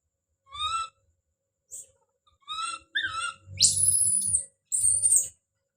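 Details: Baby monkey Don calls out with a few brief rising cries, then breaks into long, piercing, very high-pitched screams, with low rumbling noise beneath.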